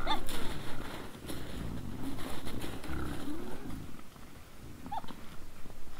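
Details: Several wild boars at a trail camera at 20:17 on 17 December 2022, giving dense, rapid, deep grunts that overlap almost continuously, roughly four a second, with faint higher squeaks near the start and end.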